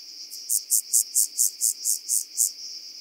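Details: Rock-dwelling grasshopper (Omocestus petraeus) singing on Cres, Croatia, on 13 July 2022: a series of nine short, buzzy high-pitched pulses about a quarter second apart, forming one even phrase of roughly two seconds over faint background hiss.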